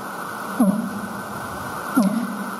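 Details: Sped-up recording of very low-frequency fin whale calls, made with the animal nearby: two brief downward-sweeping pulses about a second and a half apart over steady hiss.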